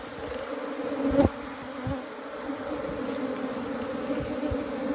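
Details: Asian honey bee colony rescued from a canal, gathered inside a box with the queen: a steady, low droning hum with layered overtones, continuous throughout, with one brief soft knock.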